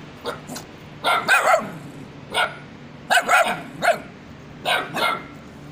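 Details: A small white puppy barks in January 2021, like its mother: short, high-pitched yaps in quick clusters, some doubled, with brief pauses, over a low steady hum and possibly faint voices.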